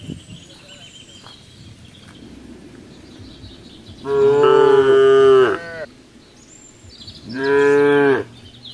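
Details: Cows gathered on a road: two loud, drawn-out moos with rich harmonics, the first lasting about one and a half seconds, the second about one second, over a quiet outdoor background with faint rumble.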